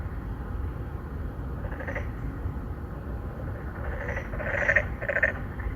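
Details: Narrow-mouthed frogs, an endangered species, call to attract females from a pond inside an apartment complex in Songdo, Incheon, Korea, 2019; several quick pulsed croaks, clustered near the end, sit over steady low road noise. Recorded on a Galaxy Note9.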